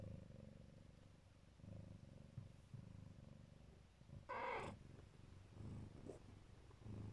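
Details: Neva Masquerade Siberian mother cat guarding her babies keeps up a deep, pulsing purr, broken once midway by a brief brighter noisy burst before the steady low rumble resumes.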